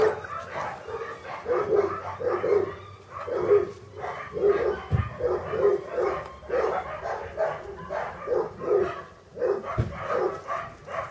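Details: A litter of English Cocker Spaniel puppies, born August 2011 at a kennel, keeps up dense, overlapping squeaky whines and yelps. Two brief low thumps stand out near the middle and the end.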